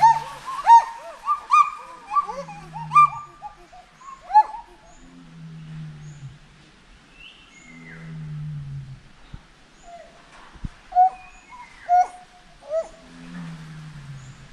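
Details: Monkey. Monkey calls come in short tonal bursts, some rising and falling like whistled hoots, others breaking into rapid chirps. Lower, drawn-out moaning tones slide downward between the bursts.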